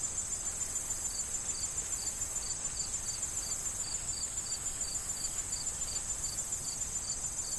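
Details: Autumn corn field crickets, awaiting harvest season, give evenly spaced high chirps roughly every quarter second above a constant shrill insect drone, while wind moves through the rustling stalks.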